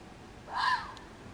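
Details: A red fox (Vulpes vulpes) at Waterloo, Belgium, gives a single brief, hoarse, rasping cry against a quiet background.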